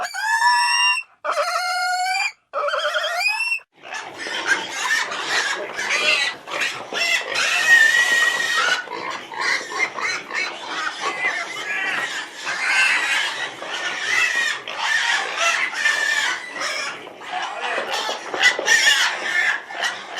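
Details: Three clear, rising, whining pig squeals open, followed by sustained, chaotic squealing and shrieking that runs on without a break, rough and noisy throughout.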